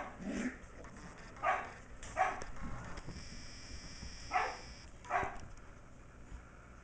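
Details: Sheltie puppy about six weeks old, MacTavish, plays in a great room with older dog Sasha and teases puppies still penned nearby. Five short, bright barks come at irregular intervals, the first with a lower growly edge, over quiet room noise.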